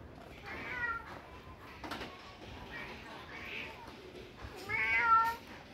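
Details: Pet cats at home in winter, waiting at a closed door while being let out to sunbathe. Two meows: a short one near the start, then a louder, drawn-out one about four seconds later, with a person speaking quietly in between.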